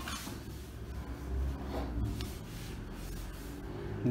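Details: Low rumbling handling noise and muffled knocks indoors, steady and dull throughout.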